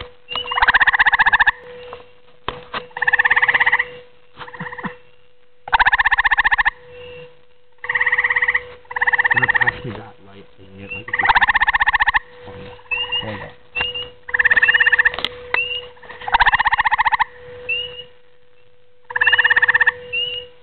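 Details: Grey tree frog calling at night: short pulsed trills, each under a second, repeated about every two seconds, around ten bursts in all, with a steady low electrical hum underneath.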